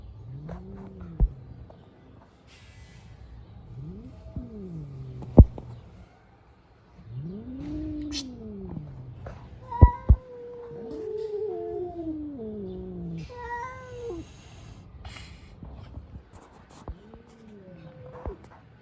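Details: Street cats fighting: a series of low, arched, moaning yowls, each swelling and falling over one to two seconds, some higher wavering cries between them, with occasional sharp clicks and thumps in an otherwise quiet outdoor setting.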